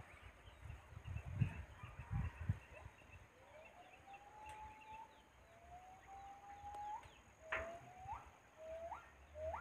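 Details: A crying monkey gives long, drawn-out whistled cries that slowly rise in pitch, followed by several shorter upswept cries near the end. Low thumps and rustling sound early on over faint outdoor background noise.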